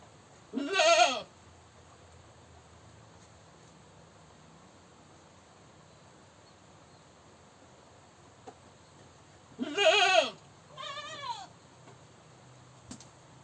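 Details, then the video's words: Screaming goat giving a loud harsh bleat early on, long quiet gap, then another strong bleat followed by a higher, shakier quavering call near the end. "Goat Screaming"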